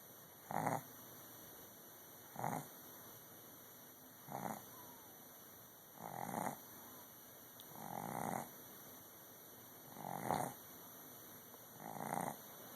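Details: A sleeping dog snores loudly. Breathy, rasping snores come in a steady rhythm about every two seconds, with seven snores over the stretch, against a quiet background with a faint steady electronic whine.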